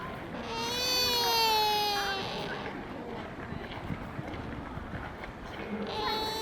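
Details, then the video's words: At Nara Park in Japan, a sika deer lets out a long, harmonic-rich squeak that dips gently in pitch over nearly two seconds. A fainter squeak begins at the very end, with busy outdoor chatter and noise in between. "Deer's squeaking noise 鹿の鳴き声"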